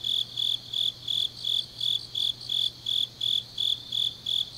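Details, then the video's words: Grass insects on a deep autumn night in Changnyeong, Gyeongsangnam-do, South Korea: bright, high chirps pulse about three times a second in a steady rhythm, with a fainter shimmering layer of other insects above and a low steady hum beneath. "깊은밤 가을 풀벌레 소리"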